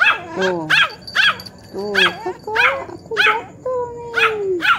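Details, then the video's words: A Poodle barking back while a grandmother speaks to it; short, bright yaps alternate with her drawn-out, falling vocal tones, giving a call-and-answer exchange. "HOW GRANY TALK TO CLEVER CUTE DOG POODLE."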